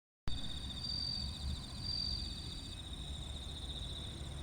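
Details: Bell crickets at Kinokawa Service Area in Wakayama, Japan, giving steady, high, pulsed ringing trills with brighter swells, while other insects buzz higher still over a heavy low rumble of traffic and background noise.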